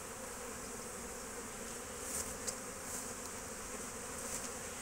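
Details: Steady swarm-like buzzing of many foraging honey bees at an apiary, 12 March 2024, with a few short sharp clicks and a slight swell in the drone midway.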